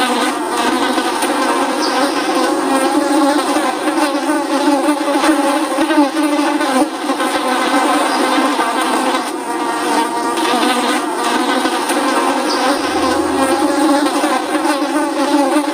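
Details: Housefly buzzing, presented as an annoying sound: a steady, dense drone with stacked harmonic bands, holding level throughout with slight wavering, as of several flies buzzing continuously.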